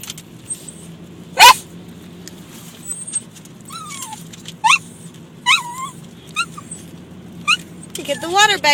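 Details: Lambert, a pet dog in a car reacting to water hitting it, gives short rising whines and yelps, ending in a harmonic bark, over a steady car hum, water patter and human speech.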